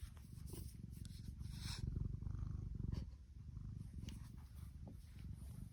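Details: Female tuxedo cat Tiki purring happily, a thick low vibrating rumble that grows stronger in the middle, briefly dips, then resumes, with a few brushing and rustling sounds on top.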